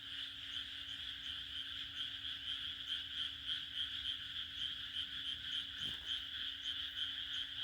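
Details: June night chorus of frogs in rural Japan, many voices blending into a throbbing, shrill wall of croaks that swells and dips in quick pulses, with a faint steady hum and one brief click.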